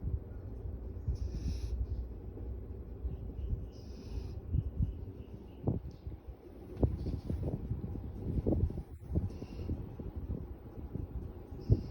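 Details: Golden retriever (Canis lupus familiaris), snoring.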